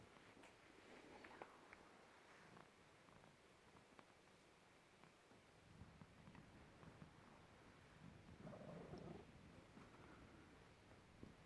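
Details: Three-legged male domestic cat, woken from sleep and being petted indoors, gives a brief soft tonal chirp near the end over faint, steady low purring and light rustling.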